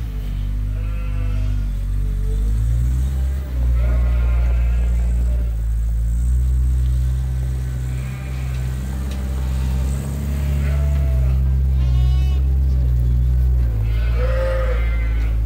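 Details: Flock of farm sheep and lambs at Ewetopia Farms waiting for their feed during daily chores; several wavering, harmonic bleats rise over a constant low engine or vehicle hum, some overlapping near the end.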